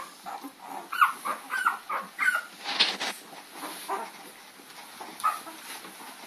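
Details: Puppies in a chase after Lady, April 4, 2013: a few high, squeaky yips and whimpering cries in the first three seconds, then quieter scattered yelps, over a light background hiss.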